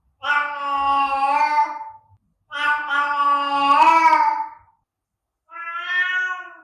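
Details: Cat giving long, loud, drawn-out meows for attracting other cats, two sustained wailing calls then a shorter one, in a quiet room.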